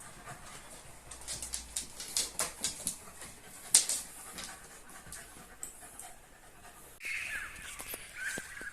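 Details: Cocker Spaniel puppy and an adult Cocker Spaniel on a night walk: quick rhythmic panting puffs, then sharp clicks and rustling, with a man's voice speaking nearby.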